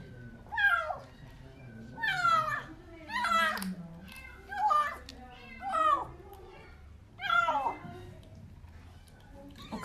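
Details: Starving rescued kitten Portakal, found outside under an apartment building, wailing as it gulps its food indoors; six strong, harmonic meows that break and fall in pitch, coming about every one and a half seconds, while a woman speaks quietly.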